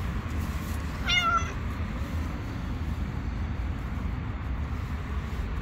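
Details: Hungry stray cat on the street asking for food while wary of other cats: a single short, rising-then-falling meow, richly harmonic, over a steady low rumble of urban background noise.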